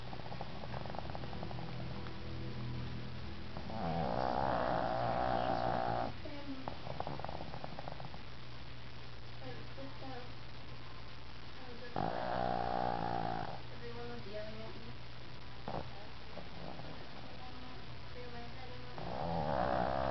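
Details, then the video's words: Tank, a pet dog in a deep afternoon nap, lets out long rasping snores with a whistly, tonal edge, one about every eight seconds, while television dialogue murmurs steadily underneath. "Tank REALLY snoring"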